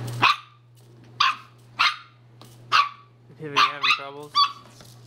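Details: Divot, a pet Toy Fox Terrier, playing with a hula hoop he has come to love: seven sharp, high barks spaced about a second apart, the last three quicker and more tonal, over a steady low electrical hum.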